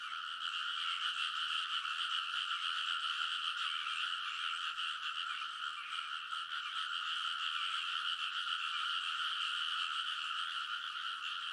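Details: Midnight early-summer frog chorus on the paddy banks of Kōnosu, Saitama, Japan, captured with a TASCAM Portacapture X8: many frogs croaking at once, fast pulsing calls blending into an unbroken, even din.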